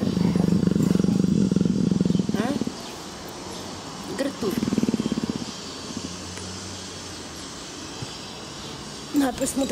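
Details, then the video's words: Purring from a gentle, affectionate female leopard in heat beside her keepers. A long run of fast, low rumbling pulses is followed by a shorter burst, then quiet. A woman's voice is heard near the end. "Gentle, purring Greta and loving leopard Sheba!"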